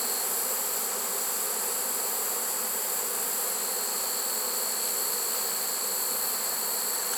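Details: Honey bee swarm caught in a swarm trap on 1 September, late in the season; dense, steady buzzing hum fills the air without pause, with a thin high whine above and no other clear sounds.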